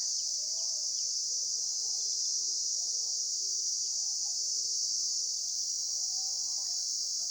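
A steady, high-pitched insect chorus hisses without a break, with faint murmurs far beneath it.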